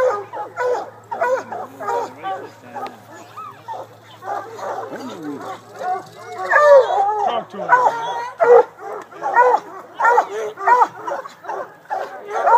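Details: Coon hounds at the water race of the 2012 Hound Dog Classic: dense, continuous baying with rapid, overlapping, ringing barks that grow louder midway, plus some human speech early on.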